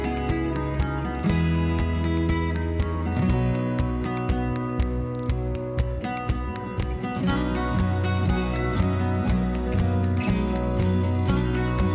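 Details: Guitar-led music with steady plucked strings and a rhythmic beat plays throughout, with no animal voices.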